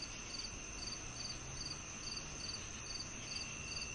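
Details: Chirping cricket used for tinnitus relief: quick high pulses recurring about every half second, nine across the stretch, backed by a steady shrill hum and low noisy rumble.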